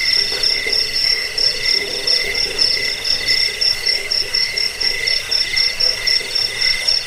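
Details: Cricket song used to repel rats, help with sleep and serve as a bird-training master: dense, high, buzzing pulses in a steady stream, a weaker lower tone, and faint croak-like sounds underneath.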